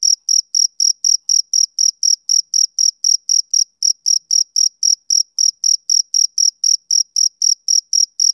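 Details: Rhythmic chirps of a male cricket on a summer evening, short bright high-pitched bursts repeating about four per second, evenly spaced over a silent background.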